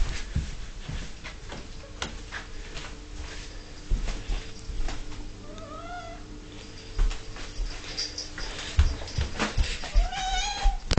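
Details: An 11-year-old female house cat whinges at dinner time while her owner puts canned food in her bowl. Two short, wavering meows sound midway and near the end, amid clattering, tapping and kitchen noise.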